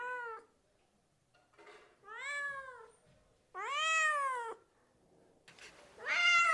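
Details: Domestic cats meowing: a clipped meow, then a softer falling one, a long loud arched call, and a final bright meow cut off at the end, separated by faint shuffling noise.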